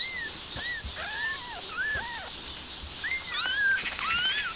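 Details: Stray mother cat trying to move her kitten outside, giving a rapid run of short, arched, high-pitched meows and mews, several overlapping at the end, over a steady outdoor hiss.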